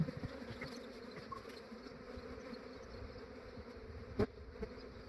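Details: Honey bees of a large swarm hum steadily as an Australian beekeeper collects them at dawn, before they grow active. One loud knock stands out near the end of the low, even drone.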